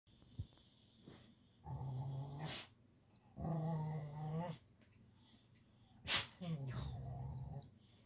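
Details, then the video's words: A male Siberian Husky vocalises while being petted, giving three drawn-out, low, harmonic growl-like moans, each about a second long and separated by short pauses, with a brief sharp click between the last two. "the Siberian Husky is incredibly vocal about being pet"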